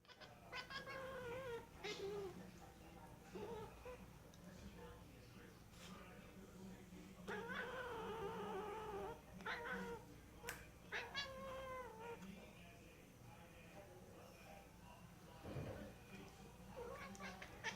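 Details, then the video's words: Cat making strange sounds: a string of wavering, harmonic yowls and moans, some drawn out over several seconds and others short and clipped, over a steady low electrical hum. "Strange cat sounds"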